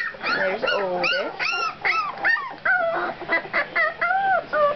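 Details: Two-week-old puppies squeal and whimper in quick, high, wavering cries, many rising then falling, overlapping one another from several pups, with no other sound standing out.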